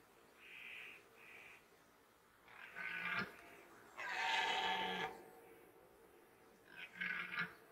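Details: Red deer during the 2021 rut in Poland, a series of hoarse, harmonic roars, a long loud one in the middle and shorter bursts before and after, with quiet pauses between.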